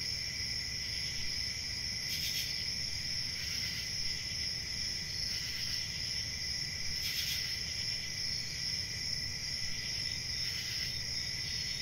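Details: A continuous, high-pitched cricket chorus drones without pause while louder bursts of chirping rise irregularly every couple of seconds, layered over faint low background noise.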